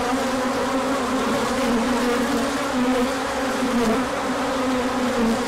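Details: Honeybees on a large orientation flight as the sun comes out after colder weather, 24 March 2024, with pollen coming in; a dense, steady buzzing of many wings, layered hums shifting in pitch as bees pass.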